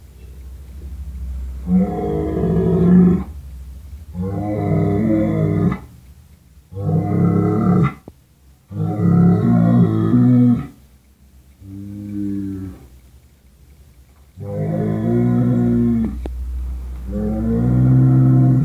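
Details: Low, rough bellowing calls repeated about seven times in quick succession, each a second or two long, over a faint steady background hum.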